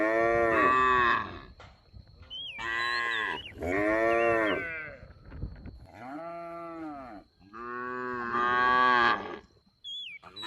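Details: Cattle roaming a rice field during their daily grazing, calling with about six full harmonic moos of varying length, with birds chirping softly in the background.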